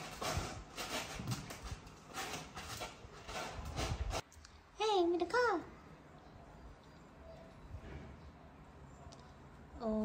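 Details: Kitten with a sore eye, indoors, gives two short arched meows in quick succession mid-clip, then a faint rising meow at the end; a person talks over rustling and handling noise before the calls.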